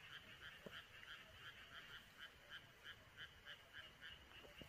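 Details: Frogs in rice paddies on a midsummer countryside night, a dense chorus of overlapping rasping pulses repeated several times a second, steady and unbroken, with a soft low hiss underneath.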